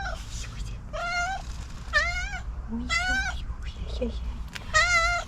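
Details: Overly excited cat meowing while being petted, one of the cats living on the street: four drawn-out, clear, harmonic meows, each bending slightly up then down, spaced about a second apart, over a low steady background hum.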